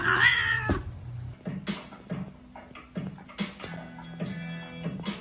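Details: Domestic cat giving a short harmonic meow at the start, followed by background music with rhythmic beats and tones.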